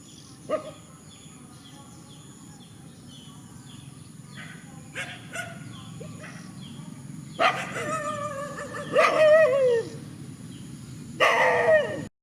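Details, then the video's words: Rural dogs squaring off in an open field. After mostly quiet background hiss, a falling, drawn-out whining howl comes near the end, then a last short tonal yelp. "Countryside dogs facing each other in the field"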